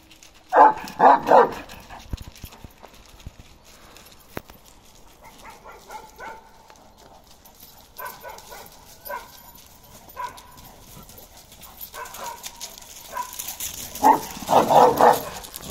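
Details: Fifteen-month-old male Kangal Balyoz, karakırçıl in colour, lets out a cluster of rapid deep barks at the start and another at the end, with softer scattered sounds in the quieter stretch between.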